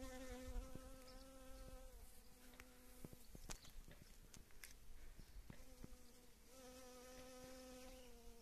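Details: Foraging honey bees on wild mustard flowers in early spring, after the rains: a clear, steady, humming wing buzz sounds in long stretches, drops away briefly amid clicks and rustles, then resumes strongly.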